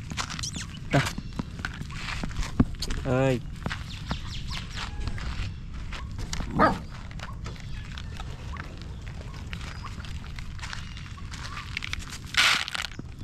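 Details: Crying stray puppy held in arms, seeking help: a wavering, quavering whine early on and another brief cry midway, with a human voice and handling noises in a noisy outdoor setting.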